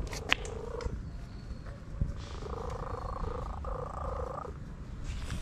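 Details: Orange stray cat enjoying a massage, purring steadily with a low rumble throughout, broken by two longer stretches of a sustained tonal hum lasting about one and two seconds.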